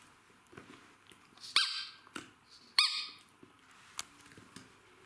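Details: Two sharp, high-pitched yapping barks from one of two Jack Russell Terriers having fun at play together, with faint scuffling between.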